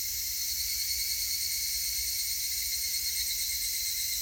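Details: Steady, piercing insect drone from higurashi cicadas on 19 August 2018: several stacked high whining tones hold level throughout, unbroken and even in loudness.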